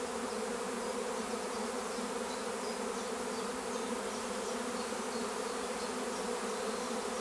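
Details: Swarm of honeybees at Longué-Jumelles, France, gathering near fir trees: a continuous low hum from countless wings, with repeated faint higher whines of single bees flying past the recorder.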